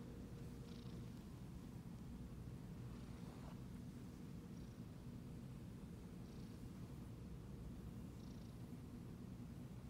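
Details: A Siamese cat purrs steadily while being petted, a low continuous rumble that pulses with each breath.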